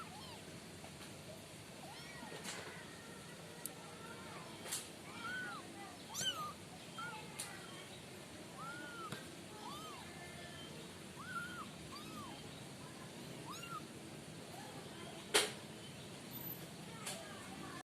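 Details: Five sibling kittens kept in a cardboard-box pen for warmth give soft, thin mews, each a short rising-then-falling arc, repeated every second or so and overlapping from several kittens, with occasional faint clicks and knocks.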